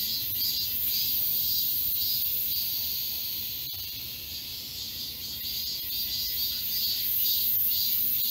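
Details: Many cicadas form a forest chorus at Galsan Park in Seoul's Yangcheon-gu during midsummer. A sharp, shimmering high whine pulses in rapid, regular swells, fading slightly midway before building again, with one brief click.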